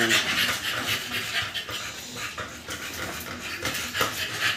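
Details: Two-month-old American Bully puppies after their second 5-in-1 vaccine, panting in quick, breathy, rasping bursts about four times a second, with voices talking over the breathing.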